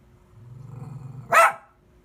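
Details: Dog giving a low rumbling growl for about a second, then one loud, sharp bark.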